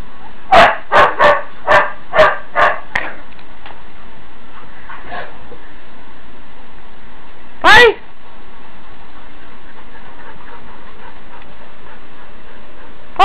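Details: Huskies in the morning, loudly telling that they want to go out; a quick run of six sharp barks, then quiet, one wavering yowl later and another at the end, with a person chanting in the background.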